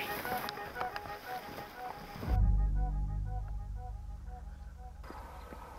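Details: Gentle tonal music carries throughout, joined midway by a heavy low rumble of a boat motor and wind on the microphone. No animal calls stand out.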